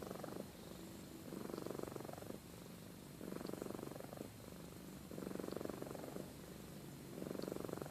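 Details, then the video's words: Sleeping pet cat Amy purrs and snores, a continuous low buzzing rumble that rises into louder pulsed phrases roughly every two seconds, each lasting about a second, with quieter purring between. "Compilation of Amy Purring & Snoring"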